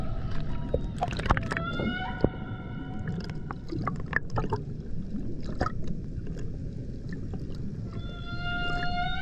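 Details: Underwater off Puerto Plata, Dominican Republic, at the Banco de la Plata humpback sanctuary in 2024: bright harmonic tones at the start, a pause filled with crackling clicks and rumble, then the tone returns at the close.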